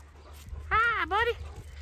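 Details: Rottweiler on a ranch that also keeps goats and chickens, during obedience training: a two-part tonal whine, first sliding down, then rising again after a short break, over a steady low hum and soft voices.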